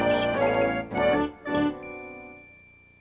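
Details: Short organ-like musical chords end in a ringing chime that fades away, with no animal sound present.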